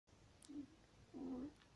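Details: A one-week-old longhaired German Shepherd puppy, born 26 September 2020, gives two short, soft squeaking cries, the second longer and slightly wavering, over a quiet background hiss.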